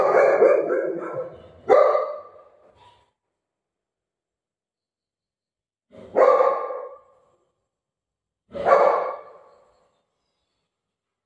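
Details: Golden retriever playing with its mother: loud, harsh barks, first a pair of bursts back to back, then single barks after long silent gaps around six and nine seconds.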